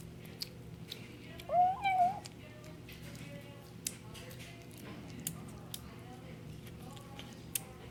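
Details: Bengal kitten eating, giving one short tonal mew with a slight rise and fall lasting about half a second, amid quiet clicks and soft background music.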